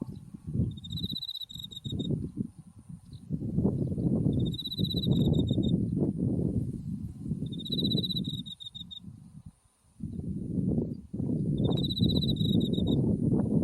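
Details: Autumn insects by a white buckwheat field with Mount Tsukuba in the distance. Clear high trills recur about every three to four seconds, partly buried under strong, roaring wind noise.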